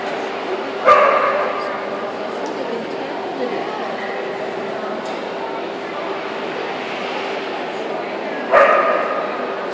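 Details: English Springer Spaniels at a dog show in Tucson, Arizona, on November 17, 2013: two sharp, loud barks, one near the start and one near the end, rising above a constant hall murmur of human chatter and a steady hum.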